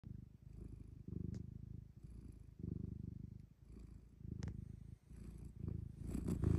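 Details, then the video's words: A friendly black domestic cat purrs steadily, a low rumbling vibration pulsing with each breath in and out. "Friendly cat purring"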